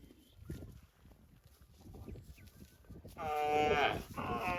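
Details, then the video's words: A cow gives one loud, sustained moo that starts abruptly after a quieter stretch of low background noise and holds steady to the end. "Cow sounds mooing"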